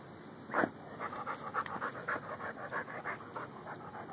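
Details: Lou, a Rhodesian Ridgeback and Bull Mastiff mix dog digging for gophers in a yard, filmed on a Samsung Galaxy S3: quick rhythmic panting breaths, roughly three or four per second, opening with a louder sharp huff.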